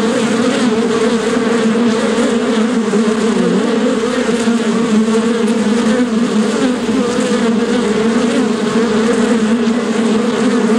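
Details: Continuous buzzing of a bee, a thick droning hum with two strong low bands that wobble gently in pitch, holding at an even loudness for about eleven seconds without pause.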